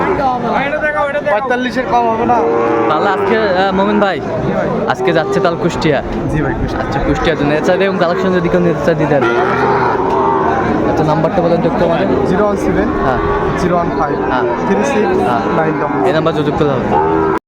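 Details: Many Sahiwal bull calves bawling at a Kushtia market in Bangladesh, 2 August 2024, their long harmonic moos layered almost without pause, with busy human voices and clatter throughout.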